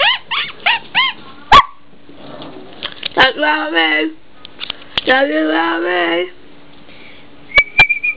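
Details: Quick rising squeaks from an eight-week-old blue and white whippet puppy, Bo, then two long, wavering, moaning whines like a small howl, with a thin high squeak at the end.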